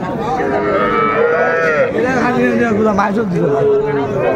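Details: Young Sahiwal bull calves at a cattle market in Dhaka, Bangladesh, on 11 February 2025, where farmers are buying them; a drawn-out, falling low moo rises above dense human chatter and bargaining voices.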